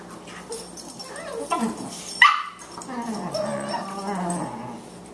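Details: Boxers playing, a 14-week-old female puppy with an older male dog; rough growling and whining sounds with a sudden sharp yelp midway, followed by continued rumbling growls.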